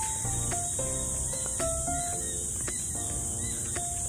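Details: Many crickets in Pasir Ris Park, Singapore, near the mangrove, a dense, steady high hiss filling the background, with music-like tonal notes and speech running underneath.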